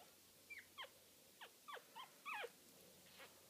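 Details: Four-day-old Scoshihuahua puppies, born 4 June 2013, lying with their mother; thin, high squeaks that slide downward in pitch, about seven short cries in quick succession with a soft final whine over a quiet background.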